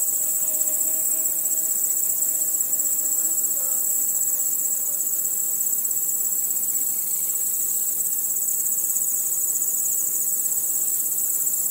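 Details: Night crickets in a nocturnal insect soundscape, a shrill, rapidly pulsing high chorus of many callers, with a few faint, low wavering tones in the first seconds.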